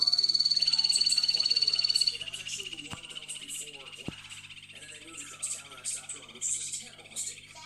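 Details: Yellow-banded (bumblebee) poison dart frogs (Dendrobates leucomelas) courting: an 8-year-old female newly introduced to a group of young males; a fast, high buzzing trill is given as a courtship mating call.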